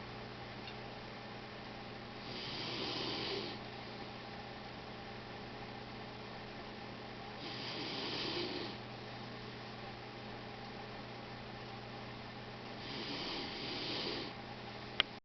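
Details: Pet dog Gizmo snoring loudly indoors beside a computer: three long, breathy, rasping snores, each lasting about a second and spaced roughly five seconds apart, over a steady low room hum.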